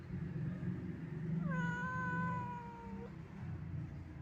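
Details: Old, sad wandering domestic cat giving a single drawn-out meow of about one and a half seconds, steady in pitch and ending abruptly, over a constant low background hum.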